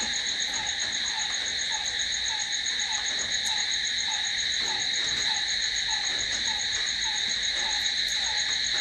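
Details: At night, crickets keep up a constant piercing trill in several high bands without pause. A soft, slightly descending lower note repeats at an even beat beneath the chorus.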